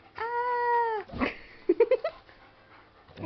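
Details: Pet Shepherd/Husky mix named Naga answering back during a sassy shouting contest: a long, steady tonal howl-like whine lasting nearly a second, then a breathy grunt and a quick run of short rising yips.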